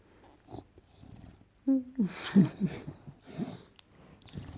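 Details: An English Bulldog named Enzo, playing on a couch, makes weird gremlin-like sounds: a short tonal whine followed by a run of wheezy, snorting grunts with uneven rhythm, indoors.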